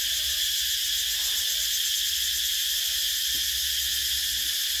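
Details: Shrill summer cicadas buzzing together in a constant high-pitched, sizzling wash, level and uninterrupted, with a brief faint low click near the end.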